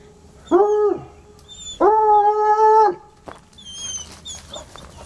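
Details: Two untrained coonhounds howling at a raccoon under a car, still at it hours later: two long, loud harmonic bays with a steady pitch, each lasting about half a second to a second, with faint higher birdlike chirps in the background.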